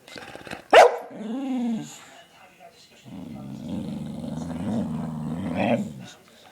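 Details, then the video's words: A dog named Lennox, hyper after eating stolen belVita, lets out one sharp bark, then a short warbling whine and a long, low, throaty grumbling vocalisation that rises and falls. "Lennox's funny noises"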